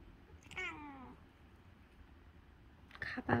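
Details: Calico cat asking for something early in the morning: a single falling meow, then a short pause and a burst of rustling and a woman's voice at the end.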